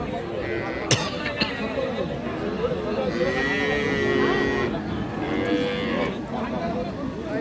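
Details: Cows with calves at a livestock market in Dinajpur, Bangladesh; a mid-length lowing moo around the middle, with people talking, a sharp knock near the start and steady market crowd noise throughout.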